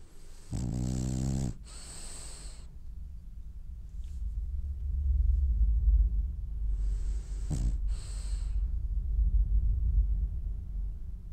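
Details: Dreaming French Bulldog asleep, giving a harsh buzzing snore on the inhale, then a long airy hiss out, low rumbling breaths in between and another short snort-and-exhale near the end.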